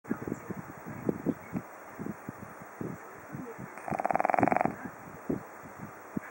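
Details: A Japanese Chin snoring. A single rattling, nasal snore lasting about one second rises out of soft clicks and snuffling breath sounds.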